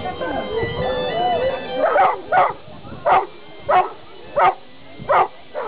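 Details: Newfoundland dog barking: after a stretch of talking and music, deep single woofs come in a steady series, about one every 0.6 to 0.7 seconds, each short and punchy.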